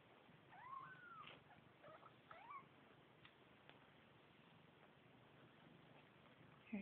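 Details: New kittens mewing faintly: two or three brief, thin, bending cries early on, then mostly quiet background hiss with a few soft knocks.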